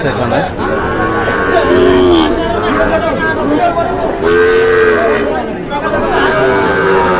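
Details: Sahiwal bull calves bought by a farmer in Kushtia on Friday 9 June; several drawn-out, low moos rise and fall at a steady pitch over constant crowd chatter and overlapping voices.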